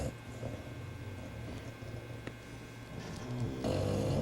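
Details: Two pet bulldogs, BeeBee and George, asleep and snoring indoors: a low, steady rumbling drone with a faint rasp, swelling louder and harsher in the last half second.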